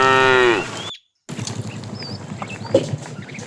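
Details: ['A fat cow from a tame herd driven in the afternoon calls the female with one short falling moo, followed after a break by chirping birds and faint rustling.']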